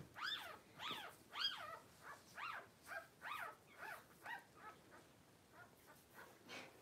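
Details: Cavalier King Charles Spaniel newborns from litters delivered in September 2022 squeal in a steady run of about a dozen arched, rising-falling cries, loud at first and fading toward the end.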